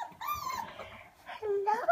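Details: Playing Alaskan Malamute puppies whine in drawn-out, tonal cries, one long sliding whimper at the start and a lower rising one near the end, while a person murmurs greetings nearby.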